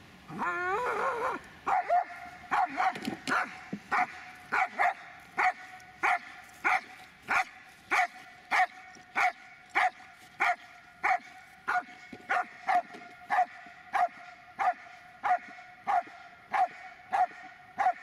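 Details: Dobermann Magmar Von Der Burgstätte barking steadily, a brief whine at the start followed by loud, sharp barks repeated about every 0.6 seconds for most of the recording, with little other sound.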